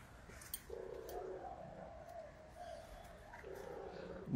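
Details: Gaga, a hungry Russian Blue cat, gives two drawn-out mid-pitched meows, the first lasting nearly a second, the second near the end, over quiet indoor background noise.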